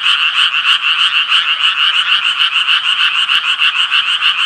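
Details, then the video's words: Japanese tree frog calling in a fast, regular series of grating pulses, about three each second, forming a continuous buzzy chorus that never pauses; no other animals or noises stand out. "청개구리 울음소리"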